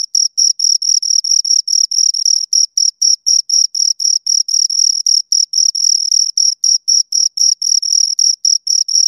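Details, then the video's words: Two crickets produce a continuous string of piercing, high chirps, around four bursts per second with uneven spacing, the tone bright and pure with a faint upper harmonic, no background noise. "Two Crickets Chirp Sounds"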